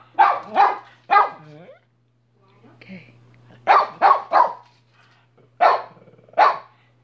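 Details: Minnie the dog gives sharp, bright barks, first a pair and a single with a whining tail, then after a pause a fast triple and two spaced barks; a low steady hum runs underneath.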